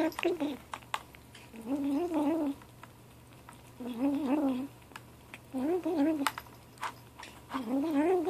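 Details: Ashe, a gray 7-week-old kitten, vocalizes while eating: five wavering, harmonic murmurs, each about a second long, come roughly every two seconds with quiet gaps, and faint clicks sound throughout.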